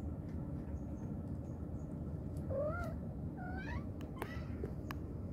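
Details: Mommy cat calling kittens: two soft, bending meows in quick succession, a few sharp clicks after, all under a dense low background drone.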